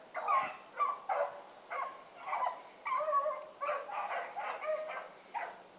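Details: Blackreek pack dogs Choco, Dino, Johnny Ringo and Mingo on an evening run, 16 August 2014. Spaced barks, some stretched into short wavering bawls, from more than one dog, over a steady high-pitched electronic whine.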